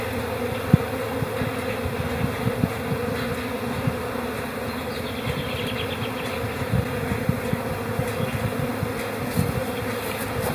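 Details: Calm spring honey bee colony in April, a constant low droning hum with steady mid band and grainy low rumble, occasional soft knocks, and a brief faint high chirping trill midway.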